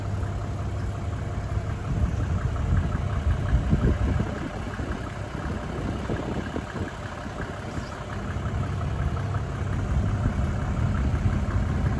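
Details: Steady low rumble of an idling engine fills the whole stretch, with no animal voice standing out.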